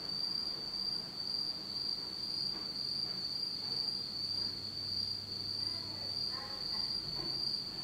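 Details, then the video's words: Insects on a dark autumn night in Japan: a constant high, ringing trill with gentle rhythmic swells, joined near the end by brief faint lower tonal sounds and a low hum. "真っ暗闇の秋の虫の声 Beautiful sound of insects in the fall of Japan in total darkness."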